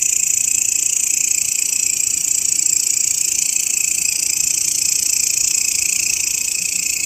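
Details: Grasshopper calling, recorded as a master sound for teaching songbirds; an unbroken, high-pitched sizzling drone pulsing rapidly and evenly, constant in loudness throughout.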